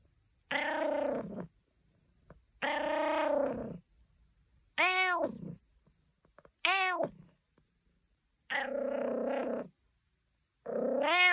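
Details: Caesar von Schwanheim, a domestic cat, gives six drawn-out, clearly voiced meows in a quiet room. Each lasts about a second, some falling and some rising then falling, with pauses of roughly a second between them.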